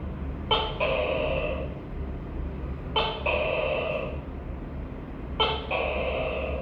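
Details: Three evenly repeated calls of a tokay gecko, known locally as tắc kè, each a short clipped first note running into a drawn-out nasal croak, spaced about two and a half seconds apart over a low hum.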